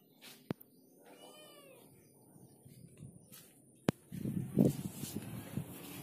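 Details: Orange cat hesitating to climb down a wall, one drawn-out harmonic meow early on, then sharp clicks, thumps and rustling scuffles.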